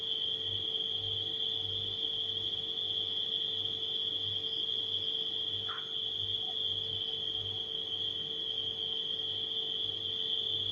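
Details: Nighttime crickets produce a constant piercing trill against a low refrigerator hum; a brief faint squeak breaks in near the middle.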